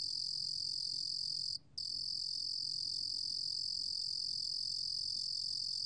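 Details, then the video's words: A 루루곰귀뚜라미 cricket, from a 2020 National Institute of Biological Resources recording, sings a continuous high-pitched trill that stops for a brief moment near the middle before resuming unchanged. "루루곰귀뚜라미, 여러번 듣기, 곤충소리"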